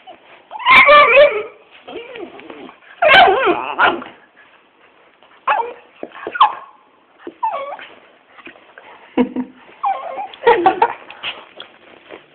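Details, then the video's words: A little dog and a big pet dog play fighting indoors: loud, rough barks burst out in a few sharp clusters, with softer yips and growly noises between them and a person talking and laughing in the background. "my little dog and big dog fighting lovely"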